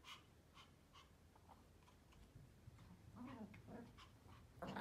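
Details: Three Pomeranians playing, running and chasing each other; high, clipped yaps about twice a second turn into a louder, scuffling run of playful barks and growly noises.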